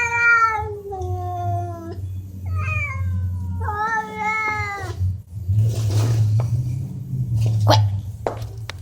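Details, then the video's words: Cats talking: long, drawn-out meows that waver and slide downward, several in a row over the first five seconds, followed by rustling, a low hum and brief clicks. "Talking cats"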